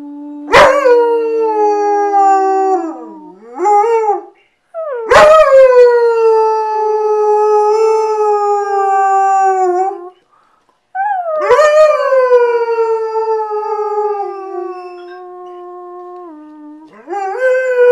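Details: A female German Shepherd, asked to sing on 27 November 2010, howls in long, sustained, wavering tones that slide slowly downward, with pauses between.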